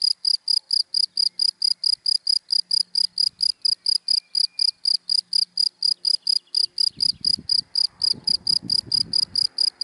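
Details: A cricket in dry grass by day gives a continuous train of short, shrill chirps, roughly four per second, clear and even; a car passes in the background near the end.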